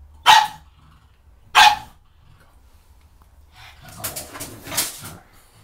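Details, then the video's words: Pug attacking shampoo bottles indoors: two sharp, loud barks about a second apart, then a run of rougher growling barks and scuffling noise. "Cute pug attacks shampoo bottles"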